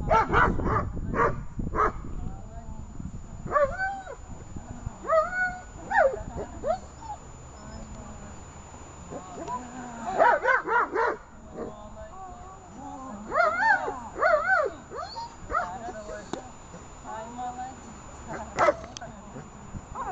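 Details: Female German Shepherd in protection training, 24 October 2018: high arching whines and yelps mixed with short sharp barks in irregular bursts, with people talking throughout.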